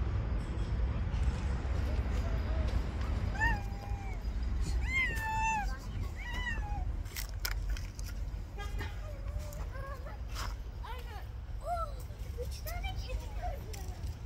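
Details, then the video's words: Street cats fighting over an angry white cat's territory: a run of drawn-out, wavering meows and short rising-falling wails, some overlapping, several in quick succession, over a constant low rumble of street traffic. "All cats Attack each other in the Angry White Cat's Territory."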